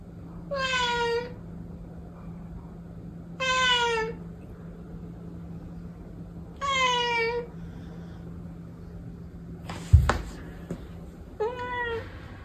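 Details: Protected cat meowing indoors: four drawn-out harmonic meows spaced about three seconds apart, each slightly falling in pitch, with a sharp knock near the end and a steady low hum underneath.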